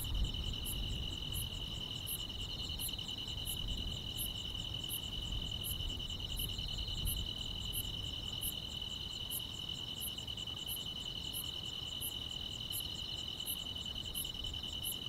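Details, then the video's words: Grass insects on a summer night in the quiet countryside: a steady, unbroken high trill runs throughout, overlaid by sharper, higher chirps repeating roughly every 0.7 seconds, above a soft low rumble. "여름밤의 포근한 풀벌레 소리"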